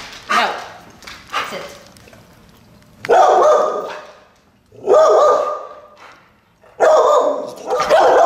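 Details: Bo, a four-year-old Wheaten Terrier in a dog training session, lets out a few loud barks spaced roughly two seconds apart, preceded by softer sounds and a short word of praise.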